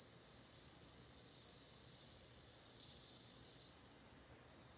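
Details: Ringing bell cricket trill, high and bell-like with layered overtones, pulsing slightly in volume for over four seconds before cutting off into quiet.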